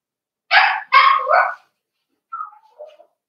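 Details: Cavalier King Charles Spaniel puppies playing in an indoor home puppy pen at Red Barn Cavaliers: two sharp, high yappy barks in quick succession, then a pause and soft, short descending whines.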